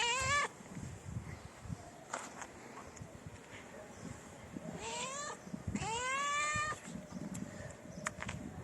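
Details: Stray cats in a Moroccan city, approaching for mating: a short meow at the start, then two longer rising meows later on, over steady low background noise.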